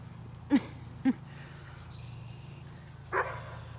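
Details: A German Shepherd in her yard, just after the grass was mowed, meets a white-tailed deer and gives two short, sharp barks about half a second apart, then a higher yelp; she dislikes others in her yard.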